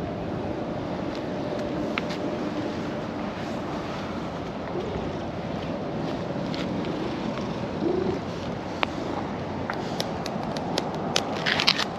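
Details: Steady outdoor rumble like wind and distant traffic, with scattered faint clicks and no animal voice.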